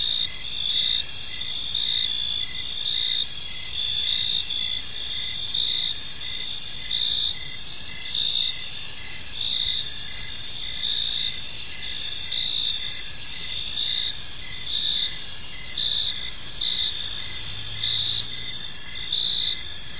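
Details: Crickets chirping in a peaceful park as evening falls: a steady, high-pitched chorus of pulsing trills in several layered bands, continuous throughout with gentle swells in loudness and a faint low background hum.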